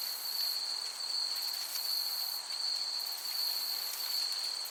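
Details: Crickets chirping in a summer meadow: a steady, high, unbroken trill holds at one pitch, with faint pulsed buzzing above and a soft airy hiss underneath.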